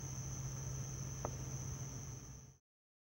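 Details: Summer nightfall at Hammam Lif, Tunisia, by houses on the Gulf of Tunis: a male house cricket calls before its burrow. Its high, continuous ringing trill holds over a low rumble, then cuts off abruptly before the end.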